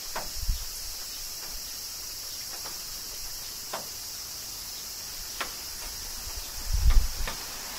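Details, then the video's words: Cicadas in summer rain in Kyoto, Japan: a steady, high, hissing drone runs throughout, broken by sharp drip-like taps and a few dull low thuds near the start and end. "Cicadas Summer Rain - Zen Sounds of Kyoto, Japan"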